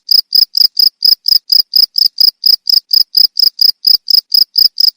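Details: High, buzzy cricket chirps, played as a model for training songbirds, repeating in a regular rhythm of about four pulses each second with clean silence between them.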